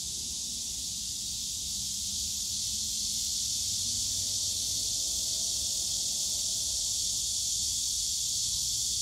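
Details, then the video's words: Summer-day cicada chorus from the bamboo forest at Yongsan Family Park, a continuous high-pitched electric buzz without pauses, over a soft low hum of distant park sounds with a faint drawn-out tone in the background. "용산가족공원 대나무숲 매미소리"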